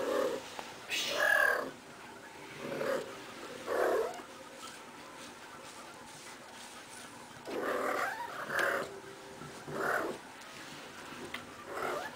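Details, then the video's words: Playful female cat rolling around indoors, giving repeated brief chirps and trilling calls in clusters, some rising and falling, with rustling and a woman talking nearby. "Playful Kitty Makes Cute Noises!"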